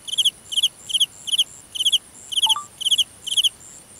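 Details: Cricket chirping at night out in a grass field, close and loud: short trilled bursts of three or four rapid pulses repeating about every half second, with a faint short tone briefly in the middle.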